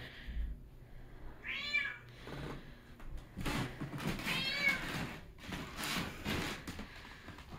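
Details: Mint, a needy pet cat in Minnesota, screaming for attention during cold weather after her owner returned from a weekend away; two loud drawn-out meows with rising then falling pitch, separated by rustling and soft human speech indoors.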